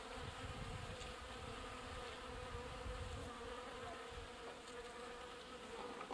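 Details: Honey bees at a watering point, water carriers busy pumping water; a dense, steady droning buzz from many insects, low and continuous with a faint tonal hum and small swells in loudness, no other clear sounds.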